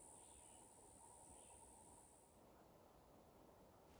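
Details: A Canadian cicada (Okanagana canadensis) sings in shrubby Adirondack North Country hillside with blackberry and fire cherry regrowing after a wildfire about three years earlier: a thin, steady, very high buzz for about 2.5 seconds, over low rumble.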